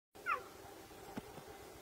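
A cheetah gives one brief, high-pitched meow that dips slightly in pitch.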